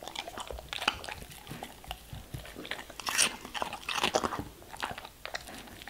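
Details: German Shepherd eating vegetables and fruits, with crisp crunching bites and wet chewing in irregular bursts, several sharp crunches clustered near the middle and a quieter mouthing between them.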